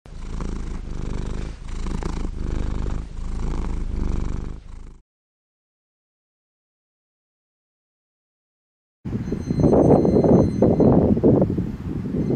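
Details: Feral cat purring: a steady low rumble pulsing in quick regular beats for about five seconds, then silence, then a rougher, louder rumbling stretch near the end.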